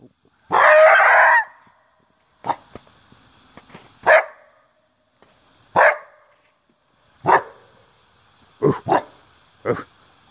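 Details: A vocal coyote in West Virginia, recorded while trapping: one long harsh bark-howl, then spaced single barks about every one to two seconds, with a quick double bark near the end, in quiet surroundings.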